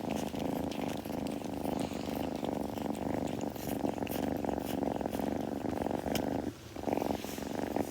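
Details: A kitten purring steadily and continuously indoors at close range, a low rhythmic rumbling pulse held throughout with faint rustling and soft clicks above it.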